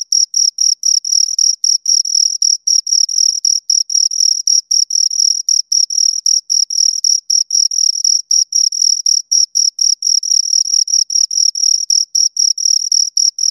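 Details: Continuous shrill chirping from two crickets, dense trains of short high pulses around four a second, sometimes merging into near-constant trilling; a clean, quiet background with no other noises.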